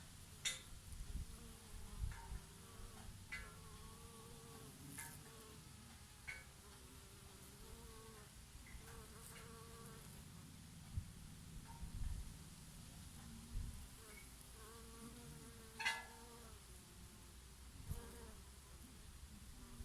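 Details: Summer bees working oregano flowers hum in overlapping wavering tones that swell as one passes near, with brief clicks and rustles against a light breeze.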